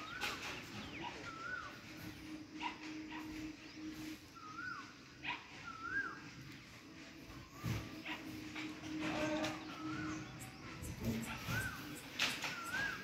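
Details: A monkey gives soft, squeaky chirps that rise and fall while eating, over crunching and rustling sounds.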